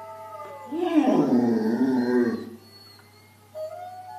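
A dog lets out a long, mournful howl, climbing at first and then sliding down in a wavering, voice-like tone. A faint steady hum and a brief higher tone sound in the background.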